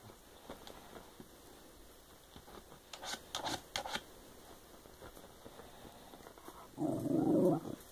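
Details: Diva, a pet Shiba Inu indoors, chatting away: after several seconds of quiet tapping and clicking, one short moaning, grumbling vocalization with a low, rough tone fills the final second.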